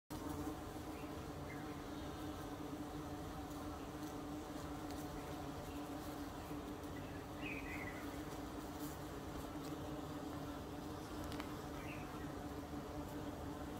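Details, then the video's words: Yellow carpenter bee buzzing while foraging on eucalyptus flowers: a steady, continuous low drone with a sustained hum throughout, over a faint background hiss and a few soft distant chirps. "זמזום דבורת עץ צהובה על פרחי אקליפטוס Carpenter Bee buzzing on eucalyptus flowers"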